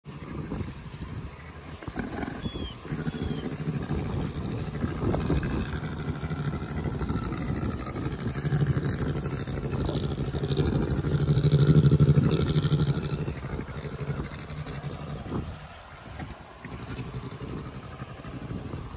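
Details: Jenny, an adult Syrian brown bear in captivity, purring while she suckles on her keeper's hand during brushing, a sign she feels happy and comfortable. A continuous deep, motor-like rumble pulses rapidly and steadily, swelling slightly midway, with faint handling noises.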